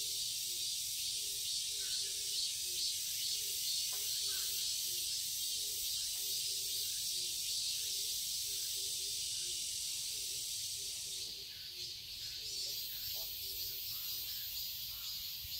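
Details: Cicadas in a garden in Seoul, Korea fill the air with a dense, unbroken, high-pitched buzzing chorus on a summer day.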